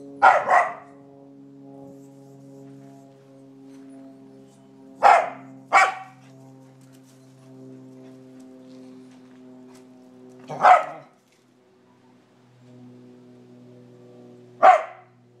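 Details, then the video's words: Young Scottish Terrier at ten months barking up a tree after squirrels, giving single and paired sharp barks at irregular gaps of four to five seconds over a steady low droning hum. "Scottish Terrier barks up tree"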